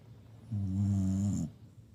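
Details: A Shiba Inu snores impressively: one long, low, rattling inhalation close to a second long, steady and buzzy throughout, then a soft tail-off into quiet.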